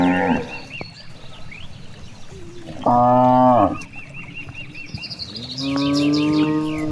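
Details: Grazing cows in a large countryside rice field: one clear, loud moo sliding slightly down, then a longer steady moo, with birds chirping continuously in the background.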